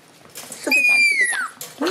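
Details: Shiba Inu puppies, two white sisters born 27 December and a black pup called Uchuu born 3 January: a single high, thin squealing whine that holds steady, then slides downward and fades, with faint soft rustling before it.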